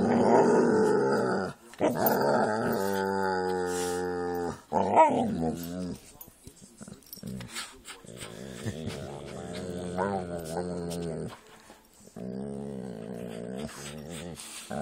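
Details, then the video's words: During play between a Jack Russell and pit bulls, long drawn-out growling moans rise and fall in pitch, separated by brief scuffling noises and quieter gaps. "Jack Russell and pit bulls playing"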